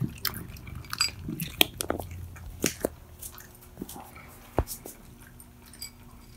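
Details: Mittens and Mongo, two pet cats, eating loudly indoors; sharp crunchy bites and wet chewing clicks come in irregular bursts, some loud, with quiet gaps between them in a small room.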